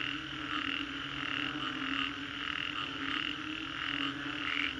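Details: Frogs calling after a storm in the Green Corridor, Singapore: a dense, continuous chorus of pulsed mid-pitched croaks throbbing roughly twice a second, layered over a steady high whine and a low background hum.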